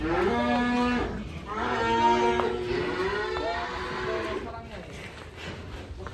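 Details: Huge Pegon cow mooing in a string of long, resonant lows, each steady in pitch and a second or more long, separated by short pauses over a murmur of background noise.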